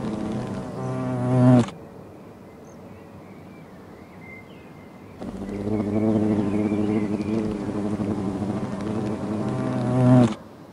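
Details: Hornets in an old tree give a deep, reedy, harmonic droning buzz in two bursts, a brief one and then about five seconds. Faint thin whistles sound in the quiet gap.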